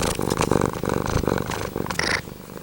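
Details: Pumpkin, a male pet cat sitting very close to the microphone, purring in a dense, rumbling pulsed drone, with a brief higher tonal sound near the end.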